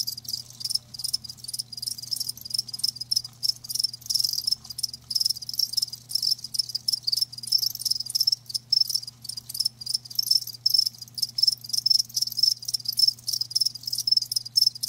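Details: Live crickets produce an unbroken stream of rapid, piercing chirps, many callers overlapping in a busy chorus above a soft constant hum.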